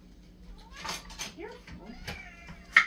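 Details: Indoor domestic cats going crazy at feeding time for their daily pate: a quick burst of short, overlapping meows with clicks and bumps, ending in a sharp, loud cry.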